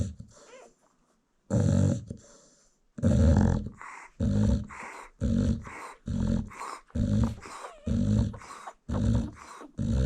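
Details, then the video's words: American Bully mother sleeping while nursing her newborn puppies, snoring loudly and steadily; deep rasping snores roughly every second after a brief quiet start, each a harsh broadband rumble. "Newborn American Bully Puppies Feeding While Mom Snores"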